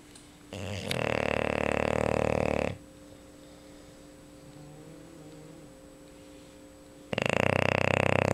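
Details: Sleeping English Bulldog Luna gives a loud, grating snore of about two seconds, then a quiet gap of four seconds before the next rough snore begins; a low steady hum sits underneath.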